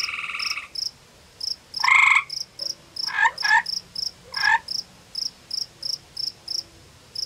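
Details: Gray tree frog at its pond-side cave in forested Ontario, Canada, trading calls with a rival male over territory: a pulsed trill, one loud short trill, then fainter answering bursts from the rival, over a regular high-pitched ticking background.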